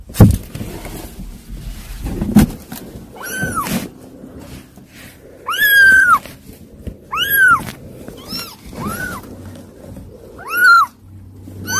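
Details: Several unruly kittens meowing: high arched cries rising and falling, loudest in a cluster near the middle, spaced a second or two apart, with soft thumps and faint background noise between calls.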